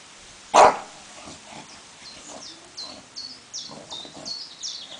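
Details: An English bulldog up against a tiger lets out one short, forceful bark, then shrill descending bird chirps repeat through the rest of the recording.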